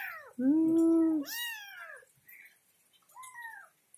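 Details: Kitten looking for its mother, giving a long loud steady meow, then a rising-falling cry and two quieter shorter mews.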